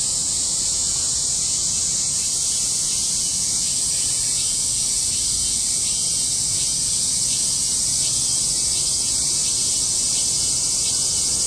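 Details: Cicadas in a loud August 2008 chorus: a dense, continuous high-pitched shrill drone filling the air without pause, with a faint pulsing texture throughout and little other sound.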